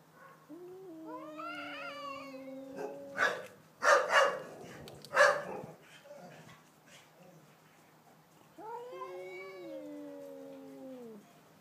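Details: Pet cat and next-door cat facing off at night: long sliding yowls that droop in pitch, a burst of loud rustling thumps in the middle, then another drawn-out descending howl.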